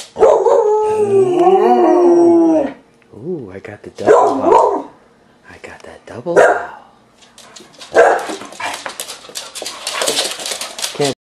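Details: Two Border Collies, a female and a male, howl together: a long, wavering, mid-pitched howl, then shorter rising and falling yowls.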